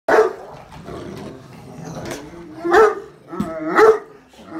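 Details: Pet Great Dane barking loudly at the family's daughter, a very vocal dog. Three deep, booming barks, at the start, near the middle and toward the end, separated by quieter rustling and low background sounds.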